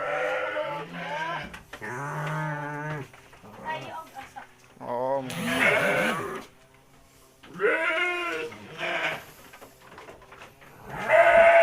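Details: Garut sheep being fed by a village girl in Kampung Bentengur, rural Garut, Indonesia; several wavering, harmonic-rich bleats rising and falling, some long and quavering, with people talking nearby.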